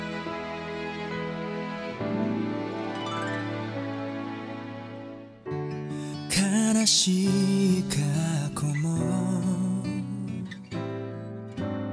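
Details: Slow, sad instrumental music with sustained low chords, later joined by a brighter melody and a sung voice line; no animal sounds present.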